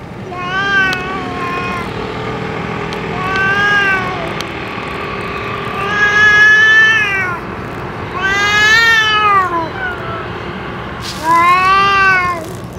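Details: Feral boss cat, after its meal and medicine, repeating five long meows roughly every two to three seconds, some arching up and falling in pitch, over a soft steady hum.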